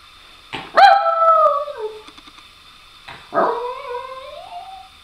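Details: Female pet dog howling and begging for her ball: two drawn-out, whiny howls, each starting high and sliding down in pitch with rich overtones, about two seconds apart, in a quiet room.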